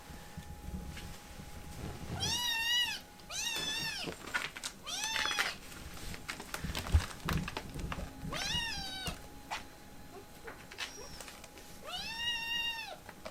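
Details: Protesting a cuddle, a tiny rescued kitten meows insistently: about six drawn-out, wavering cries spaced roughly a second apart, with soft handling rustles between them in a quiet indoor room.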